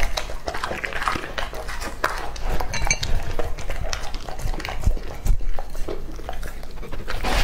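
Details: Lucky, a two-and-a-half-year-old male English-type Labrador Retriever, eats raw meat indoors. Dense, irregular crunching and wet clicking bites fill the clip, with a steady low rumble underneath.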